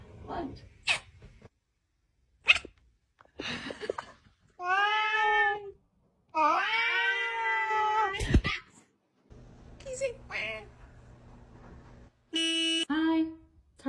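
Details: Domestic cat giving two long, drawn-out wailing meows that waver in pitch, each over a second long, between short clicks, scuffs and soft noises indoors, then a brief higher meow near the end.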